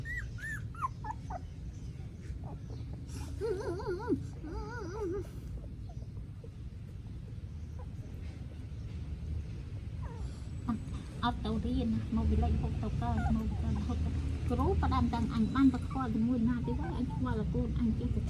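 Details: Newborn puppies in Cambodia, recorded by phone, give thin high arched whimpers and squeals, a few early on, then dense clusters of quick repeated whines in the second half, over steady low background noise and people talking in Khmer.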